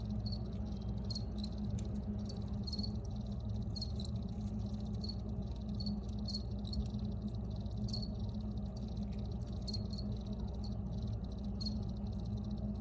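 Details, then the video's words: Crickets give sparse, irregular high chirps, some doubled, over a heavy broad rumble of background noise and hum. "Free Cricket Sounds for Re-Use or Relaxation"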